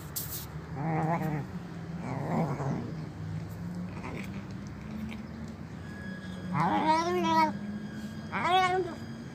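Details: Hungry old stray cat begging for food at a doorstep, crying while eating; drawn-out wavering meows, two softer early cries then two louder rising-falling wails, over a low steady hum.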